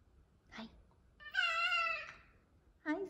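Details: Two female F2 Savannah cats give long, clear, steady meows, greeting their owner home from work, with the owner's voice nearby.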